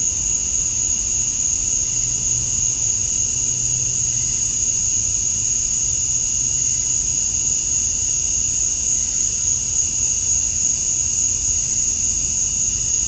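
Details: Male cicadas chirping to attract females at dusk on a summer night in Georgia, USA: a steady, unbroken high-pitched shrill drone with a second fainter band beneath it, holding even and constant throughout, with no other clear sounds.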